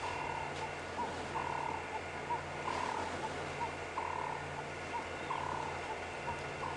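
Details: On a chilly, windy sunrise drive at Djuma Private Game Reserve on 24 April 2016, a leopard cub calls back to its chuffing mother with short, high 'chee' calls, almost warbler-like, about once a second over a low engine hum, coming closer.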